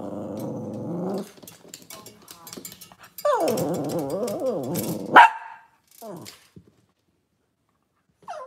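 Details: Cavalier King Charles Spaniel on a kitchen cam with off-season mothers, puppies and sometimes fathers, cloudy Monday morning; a low droning growl, then a longer wavering, rising-and-falling grumble ending in one sharp bark, followed by a brief whine.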